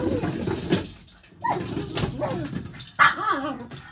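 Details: A pet dog playing with a large ball, barking and chasing it; a few short harsh barks and whiny yelps with wavering tones, mixed with thumps and some background voice.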